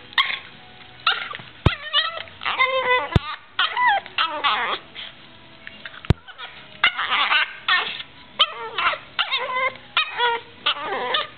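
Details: Playing female Yorkshire terrier making odd noises: short squeaky yips and warbling whines in scattered bursts, separated by quiet gaps with a few sharp knocks.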